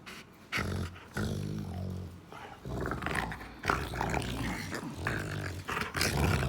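A Rottweiler gives deep, rumbling growls in short bursts, broken by brief pauses.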